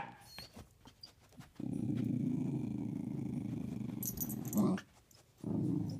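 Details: During a game of hide and seek between a corgi and a pit bull, a dog under the bed lets out a steady, deep rattling growl lasting about three seconds, then a sharp yelp-like noise and a brief pause before the growl resumes.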